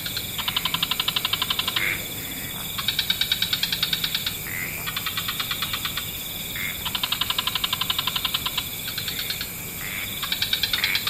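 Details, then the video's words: Frogs of several species chorusing in wetlands at dusk: rapid pulsed trains about one second long, alternating between overlapping callers with brief gaps, short tonal notes slipping in between bursts, over a steady high hiss. "Frog Orchestra"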